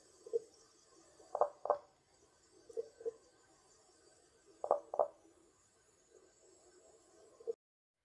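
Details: Common spadefoot from Poland giving low, hollow clucking calls in twos, quick double knocks separated by pauses of a second or more, with quieter paired notes between louder ones, over a low hissing background.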